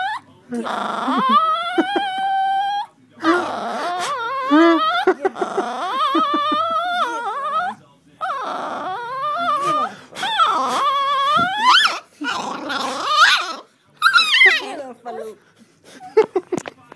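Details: A Chihuahua repeatedly trying to bite the camera gives high, strained growls that slide into whiny, wavering yelps in short bursts.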